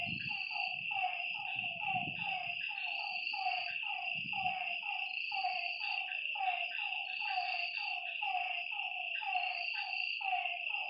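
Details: Frogs calling at night by a lake: a dense chorus of short, low, throaty notes repeated rapidly and overlapping, over a steady high insect whine and a shrill buzzing trill that comes and goes.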